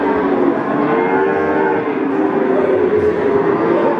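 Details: Peranakan Ongole bulls at a livestock market in Ambarawa, Central Java: steady sustained lowing layered under dense market chatter and noise.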